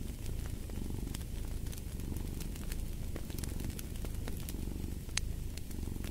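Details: Low throbbing purr of a cat continuing without pause, slightly uneven in strength, under a layer of crackling fire with occasional brighter pops.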